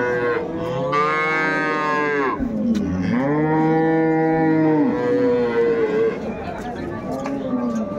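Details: Improved-breed dairy cows and calves at Ambari livestock market, 21 May 2024, bellow in a series of rich, drawn-out moos, several overlapping and rising then falling, over steady crowd noise.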